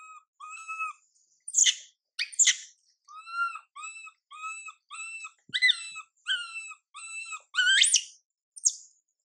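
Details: Young female monkey MILA, ignored by her mother MILIKA, gives a series of short, tonal whimpering coos at a steady pace, broken by a few sharper rising screams.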